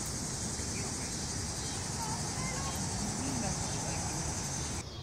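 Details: Noisy crickets in a dense, unbroken chorus: a steady, shimmering high trill that holds at the same level almost to the end, then cuts off abruptly. A low rumble runs underneath.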